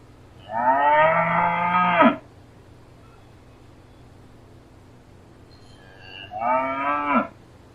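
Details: A cow (Bos taurus) gives two long, low moos, each about one and a half seconds, rich in harmonics and separated by a pause of several seconds.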